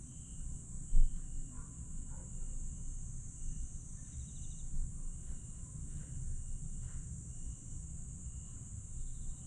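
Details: Grass insects trilling after dark in Aewol, Jeju, on 22 July 2022: constant shrill drone plus repeated short chirps, a sharp click near the first second and a few faint calls, beneath a deep steady rumble.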